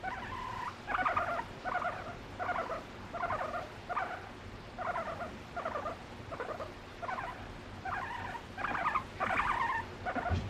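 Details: Female pet guinea pig seeking affection from her owner, voicing emotions through varied calls; louder bursts of squeaky, buzzy notes come roughly once a second, some grouped in quick pairs, with no background music.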